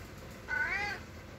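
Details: A cat meowing to be let out the door: one short, harmonic-rich meow, slightly rising then falling, in a quiet indoor setting.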